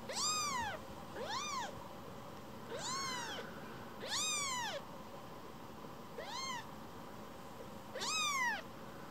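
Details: Young rescued kitten returning to its carer for petting, giving a run of six short arched mews roughly every one and a half seconds, each rising then falling, clear harmonics, indoors with little background.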